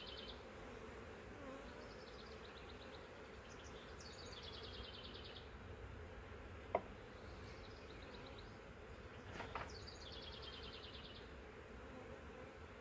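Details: Huge honey bee swarm, caught in a swarm trap from a wild hive living three years in the woods, gives a steady low droning hum; a sharp click near the middle and faint high chirping bird notes above.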